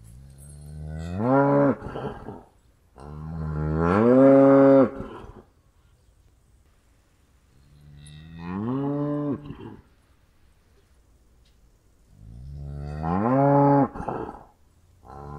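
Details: Cow calling repeatedly: four separate moos spaced a few seconds apart, each rising briefly then held with rich harmonics, some ending in a rougher break, with quiet pauses between.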